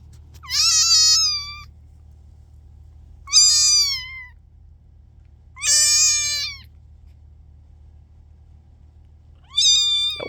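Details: Kittens give four high, thin meows spaced a few seconds apart, each bending slightly downward, over a low steady background hum.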